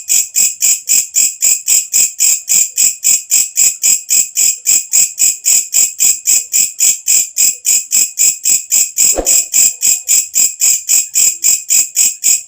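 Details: Katydid, called walang kecek, sounding after dark with a shrill, strongly rhythmic pulsing buzz about four times per second; a brief soft low thud intrudes near the end.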